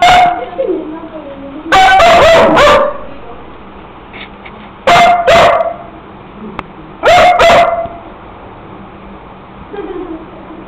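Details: Pet dog barking in three loud bursts of several sharp barks each, spaced a few seconds apart, with soft whining tones between bursts.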